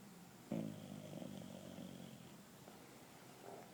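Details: English bulldog Drako, two years old, asleep on a couch indoors, giving a low rumbling snore that starts abruptly and holds steady for about two seconds before fading, then a softer breath near the end.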